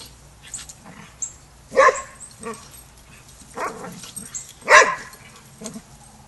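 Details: Dogs at a Border Collie boot camp, where the young pup Rammstein learns pack etiquette; two loud, sharp barks about three seconds apart, with softer woofs and muffled grumbling between them and faint high chirps behind.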